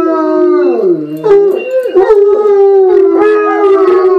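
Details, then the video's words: Four bloodhounds joining in a spontaneous howling chorus, several drawn-out voices layered at once, one dipping low then rising again, others holding steady wailing tones with quavering breaks. "Bloodhound Song"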